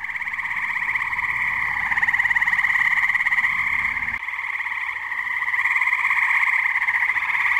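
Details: Tree frog chorus at a New Jersey pond on a muggy night: an unbroken wall of rapid, rattling trills from many frogs, briefly dipping in loudness midway before swelling again.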